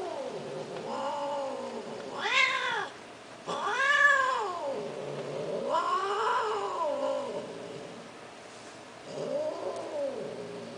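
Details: Persian kittens for sale calling indoors with repeated arched meows, several overlapping voices, some short and sharp, others drawn out and wavering, spaced a second or two apart, with faint background hiss.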